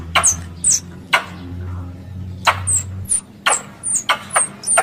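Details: Squirrel lure call for hunting in Indonesia, sparse sharp high chips spaced about a second apart, each a brief downward squeak, over a low background hum.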